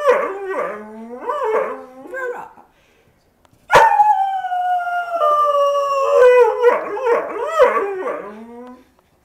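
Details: Male dog howling: a run of wavering, yodel-like howls that rise and fall in pitch, a short silence, then one long sustained howl sliding slowly downward, ending in more bouncing, warbling howls.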